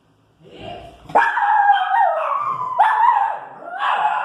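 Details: Female Pinscher irritated by street noise, producing a continuous run of loud, drawn-out, whining barks with wavering pitch, about four linked outbursts in quick succession.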